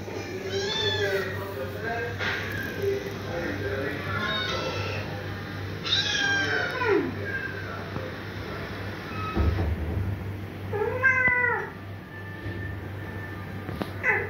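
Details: Domestic cat reacting with confusion while videos of meowing cats are played; several drawn-out, wavering meows with rising and falling tones across the clip, over a steady low hum and faint music.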